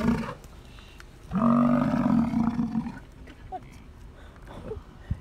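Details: Bull American bison during the rut, giving a deep guttural roar to attract females: one low, droning bellow of about two seconds, followed by quieter stretches with faint background sounds.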